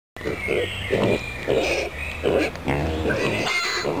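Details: Small, curious pot-bellied pigs in the animal enclosure of the Stadtpark am Pöhlberg, Annaberg-Buchholz, Germany, giving short, low grunts about every half second, with bird twittering higher above them.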